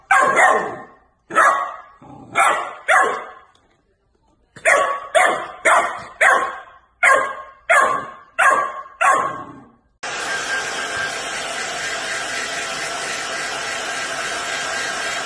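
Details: Golden Retriever barking in a funny and cute compilation: a string of sharp, loud barks, in bursts of three or four, over about ten seconds, with brief pauses. Steady hissing noise follows.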